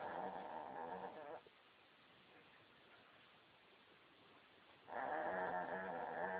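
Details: Snoring pup asleep, one long buzzy, rattling snore fading out, a quiet gap of several seconds with soft breathing, then another loud rasping snore building and holding to the end.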